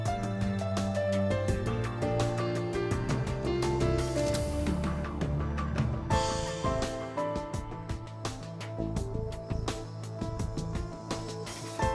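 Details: Steady instrumental music with plucked notes and a low bass line, with no animal voices heard.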